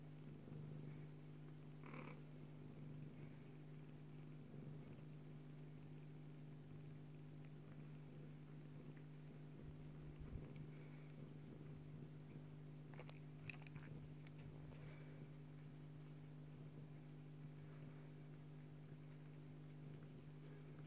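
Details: Bengal cat mother Joye nursing her kitten daughter Leeloo, purring in a constant low drone over the whole stretch, with occasional light rustling and small suckling-like clicks.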